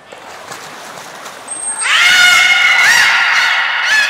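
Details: At Port of Nagoya Public Aquarium on 13 April 2019, the beluga Nana answers a thin high whistle during training with a loud, drawn-out, harmonic nasal call that wavers and bends upward near its end.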